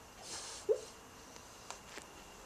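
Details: Ponyo, a pet dog, barking in his sleep while dreaming about chasing other dogs: one soft, muffled woof early on, then a quiet indoor room with a few faint clicks.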